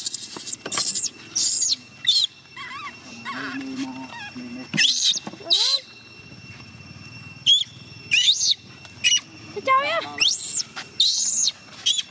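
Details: A young chimpanzee, Gina, in distress as her carer tries to leave: loud shrill screams burst out repeatedly, mixed with rising wavering whines and a low steady moan, separated by short quiet spells.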